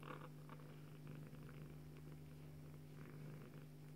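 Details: Bengal mother cat purring while nursing her kitten daughter indoors: a steady, deep, continuous rumbling purr with soft rustling and faint movement noises over it.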